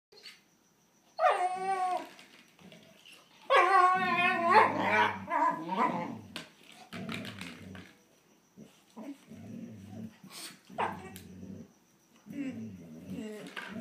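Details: Two German Shorthaired Pointers, Copper the annoying younger brother pestering older Zoie, indoors: high, wavering whining yelps in two long bursts, then low growls and grumbles broken by short pauses.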